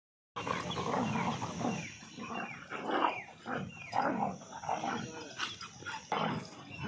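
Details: Aggressive, angry dogs in a fight between a German Shepherd and two Labradors: dense rough snarling and growling in overlapping bursts, with short sharp yelps rising through the mix.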